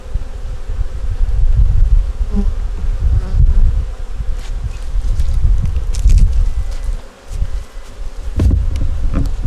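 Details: Honey bees in a small nuc colony during a winter hive inspection, the colony working to make it through winter. A low, steady droning hum fills the clip with a faint band above it, and brief handling clicks and knocks occur.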